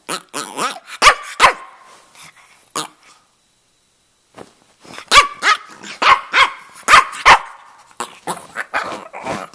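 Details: Two-and-a-half-year-old male Brussels Griffon with a red rough coat, living in Miami, vocalising in chattering runs of short, sharp, bark-like yelps with a quiet gap in the middle.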